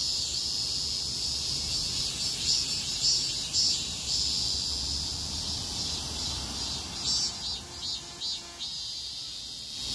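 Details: Many cicadas along a street during a heatwave buzz together in a dense, shrill chorus that pulses and swells without pause.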